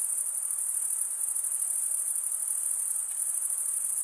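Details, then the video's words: Crickets, mostly males, chirp by scraping serrated wing veins together. A short run of seamless, piercing high trilling with a soft rapid pulse, and a quiet hiss beneath. "Most relaxing cricket sound for 8 hours"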